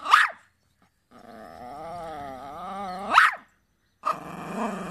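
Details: A dog gives a sharp bark, then a long wavering whine that slowly falls and rises, another sudden bark, and a further whine.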